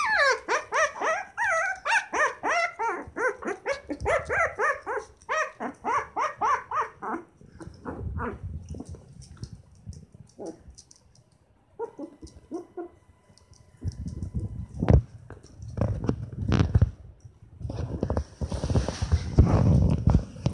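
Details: Shiba Inu puppies, twenty days old and from a litter of seven, whimpering in a fast, steady series of short high squeaks at the start, then quieter with low thumping and rustling noises.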